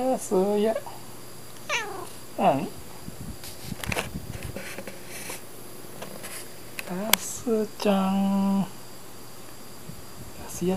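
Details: Sleeping pet cat replies to someone speaking with several brief rising meows and a longer steady, nasal meow near the end, interleaved with human speech in a quiet room.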